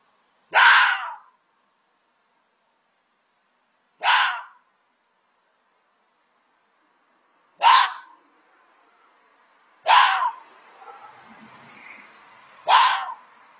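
A red fox gives harsh, hoarse single barks, spaced a few seconds apart.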